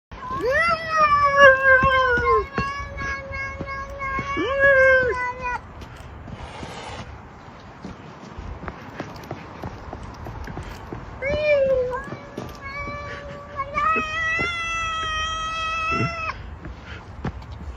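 A domestic cat gives long, drawn-out meows that waver and bend in pitch, almost like speech.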